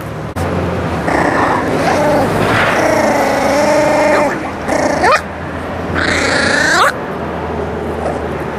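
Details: Eight- and six-week-old Miniature Pinscher puppies over meat: loud, sustained, wavering growls rising and falling in pitch, broken into several long rumbling snarls with short gaps, with a faint hum behind.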